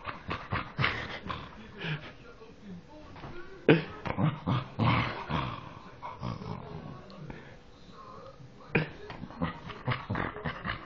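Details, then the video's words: Dog that sounds like a pig, producing hoarse, snuffling grunts and rolling growls in bursts separated by a quieter pause, while a person speaks German in the background. "dog sounds like a pig"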